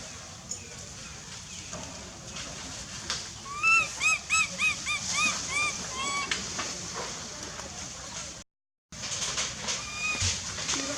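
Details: Wild baby monkey Lizza in the forest of Angkor Park, hungry and crying loudly for its mother: a run of high, arched, whistle-like cries repeated rapidly in mid-clip, then scattered fainter cries over a hissing background.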